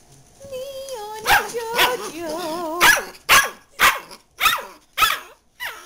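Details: JoJo the dachshund at home, with another dog named Leon nearby chewing a bone: a woman's sing-song calling opens, then sharp barks burst out in a quick run, about two per second, with her voice between them.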